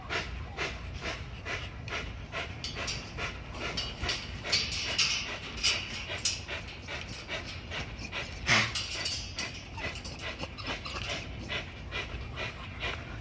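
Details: XL American Bully pitbull exercising on a spring pole, rapid, uneven panting that blurs into a near-continuous breathy hiss, with a few sharper clicks and scuffs from the workout.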